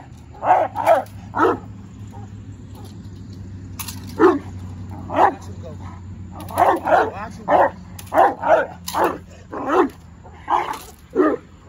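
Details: Presa Canario male in his first training session building defense drive, barking repeatedly: around sixteen harsh, deep barks, often in quick doubles or triplets, with short pauses between bursts and a constant low hum behind.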